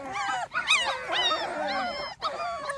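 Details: Small Munsterlander litter at two and a half weeks, out of doors for the first time; several puppies give thin, wavering whines and squeals that bend up and down, overlapping in a steady chorus.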